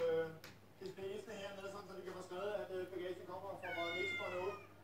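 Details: Two pet cats fighting indoors let out wavering, drawn-out meowing cries that climb to a high, strained wail near the end, with people talking throughout.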